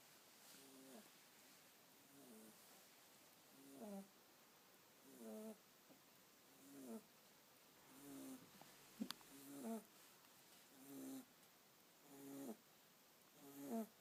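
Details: Sleeping kitten snoring softly: short breathy rasps with faint tonal overtones, repeated roughly every one and a half seconds, steady and quiet, with a brief click near the middle.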